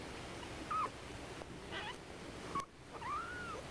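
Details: Newborn kittens from a fostered rescue litter of four, born to a community cat: thin, high mewing squeaks, a few short arched cries rising then falling, spaced over a few seconds, with soft background music.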